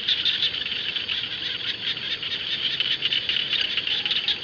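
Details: Rice-field frogs in full chorus, a loud unbroken wall of rapid, rough pulsed croaks layered over one another with no pauses.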